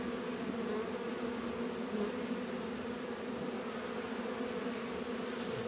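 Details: Many honey bees humming at a beehive in a northern Kentucky apiary during a 72-degree February warm spell, a steady unbroken drone with stacked tonal bands and no other clear sounds.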